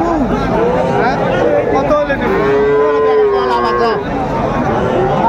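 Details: Market lowing from Friesian and cross-breed heifer calves, Raniganj haat, Dinajpur, 12 July 2024: a short call, then a sustained, slightly arching moo of over a second, set against busy crowd voices.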